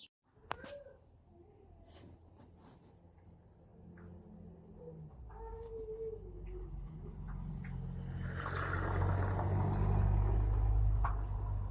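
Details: Cat purring close up: a steady, deep, rhythmic rumble that swells louder through the second half, preceded by a few soft clicks and a brief higher tone near the start.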